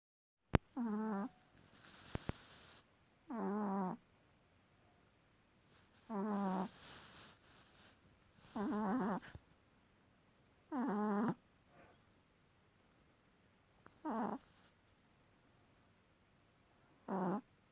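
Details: A dog with a loud snore, sleeping: seven buzzy, tonal snores, each about half a second long, repeating roughly every two and a half seconds, with soft breathing noises between them in a quiet room.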